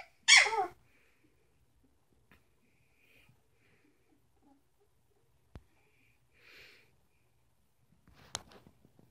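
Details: One of the Sitka x Izzi Samoyed puppies, aged three weeks, gives a sharp, high squeal that quickly falls away, followed by near silence with small clicks and soft rustling.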